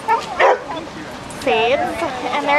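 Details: Huskies, collies and mixed-breed dogs and puppies playing together at a dog park: a brief yip, then a high arched yelp near the middle, with a person talking over it.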